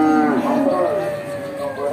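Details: Simmental cattle, including young females, at the Bekonang livestock market in Sukoharjo, Central Java, Indonesia; a drawn-out moo that starts higher, dips and then holds a steady tone for about two seconds, with faint market noise behind.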